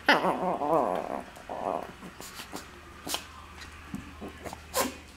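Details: Dogs jaw wrestling in play, giving a wavering, throaty growl-whine at the start followed by short grunts, scattered snorts and a couple of sharp clicks, indoors.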